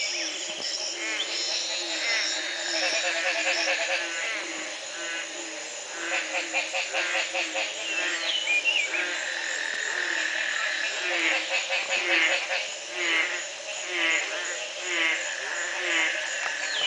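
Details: Belize frog chorus at the Community Baboon Sanctuary, 2010, recorded the morning after one night of rain broke a three-month drought. Rapid pulsed rattling calls come in bursts over repeated low croaks roughly once per second, with a constant shrill background hum.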